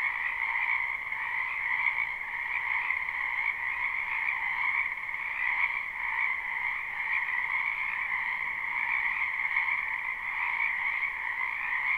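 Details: Many frogs call together from a spring wetland, recorded live with no looping: a continuous, even wall of trilling croaks stacked in two high bands, faintly pulsing but never pausing, with nothing else audible.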